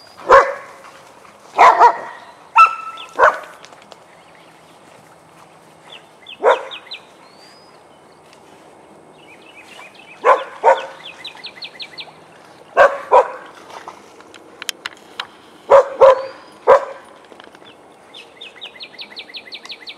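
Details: Playtime barking from Vizslas Biscuit and Jericho in their den: loud single barks in irregular bursts every few seconds, with bright repeated bird chirps in the pauses.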